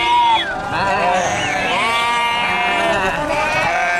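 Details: Several sheep bleating at once, their wavering, nasal calls overlapping and sliding up and down in pitch without a break for four seconds, some higher and thinner, others lower and rougher.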